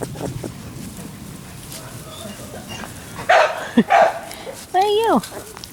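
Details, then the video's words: Young Labrador Retriever puppies filmed on 28 October 2013 give a few loud squeaky yelps and end on a drawn-out falling whine, while a woman softly coos to the little boy pups in the background. "Sasha & Moses Labrador Puppies"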